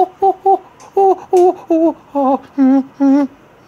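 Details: A human voice hums and sings a run of short, pitched syllables indoors in a small room, with no animal sound heard.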